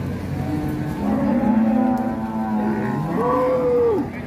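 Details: Sacrificial cow at Siyono Harjo market mooing as it rampages off a truck: a long low moo followed by a higher, rising and sustained bellow, over steady background noise.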